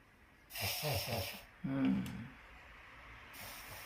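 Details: Sharp snorting sneezes from Nana, an elderly papillon: a breathy burst with pulsing nasal snorts, then a second shorter harsh snort, over a quiet hum.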